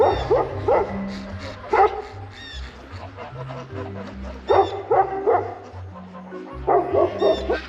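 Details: A Maremma Sheepdog puppy barks berserkly in loud, sharp bursts of two or three, repeated every second or two, over quiet background music, alerted by something in the woods as ducks are let out; an animal was heard moving there.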